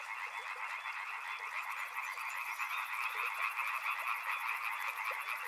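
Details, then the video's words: Dense riverside frog chorus of rapid overlapping croaks, joined partway through by a thin high pulsed trill, likely an insect, running above it to the end. "Frog Sounds | Soothing sounds of river and frogs"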